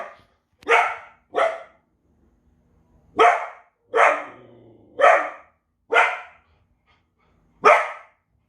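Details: Belgian Malinois barking hard: seven loud, sharp barks in uneven spacing, broadband and punchy, with a faint low hum between some barks.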